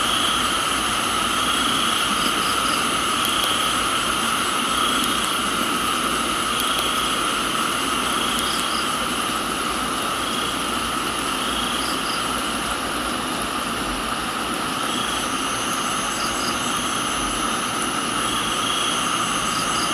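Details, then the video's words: Crickets chorus in a tropical garden in Thailand: a steady high whine in several layers, with paired short high chirps every few seconds and rain falling constantly beneath. "Thailands Tropical Garden, Rain and Crickets"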